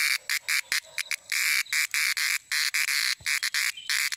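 A cicada sings in loud, rasping buzzes, some clipped short and others drawn out for half a second. The bursts stop and start irregularly with brief pauses between them.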